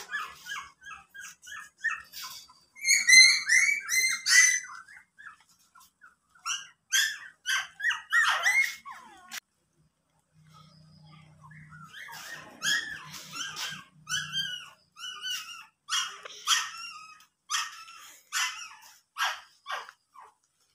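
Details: A pet dog gives short, high-pitched yips and squeaky barks in rapid irregular bursts, pausing briefly mid-way while a faint low hum sounds, then resuming a steady string of sharp calls.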